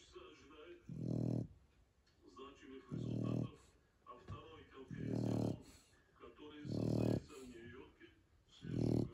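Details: Sleeping Shar Pei dog snoring: deep, rough, low rumbling snores, each about half a second long, repeated roughly every two seconds, five in a row, with soft breathing between them.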